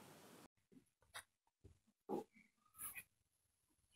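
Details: A Siberian Husky gives short, high, thin whines and whimpers, crying in distress after its owner scolded it for misbehaving.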